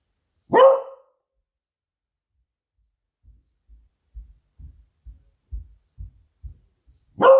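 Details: Female Beagle Smudge raising the alarm indoors while waiting for her owner to come home from his surf; one loud bark, a stretch of soft low thuds, then another bark at the close.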